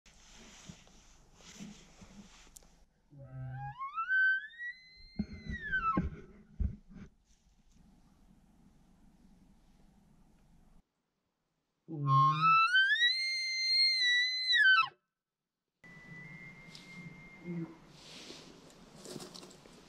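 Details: Elk bugling on a 2021 Wyoming archery hunt one morning: two high, arching whistled bugles rising from low grunts and falling away, the second louder and richer, separated by quiet rustling, with faint noise between calls.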